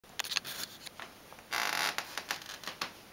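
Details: Sharp clicks, snips and a brief rustling burst from indoor handling noises, with no meow or other animal voice.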